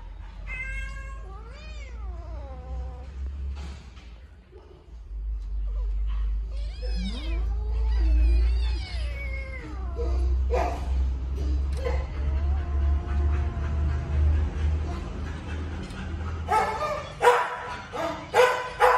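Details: Two rescued baby kittens squabble over food. Wavering, mewling cries rise and fall in the first seconds and again around the middle. Heavy low rumbling, faint music and voices largely swamp the later part.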